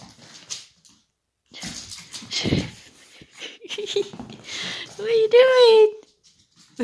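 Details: Dog at play, from a pair of a tiny boarding Chihuahua and a female Leonberger, the male eager for a game; a high, drawn-out whine rises and then slides down near the end, after snuffling sounds, with a person talking throughout.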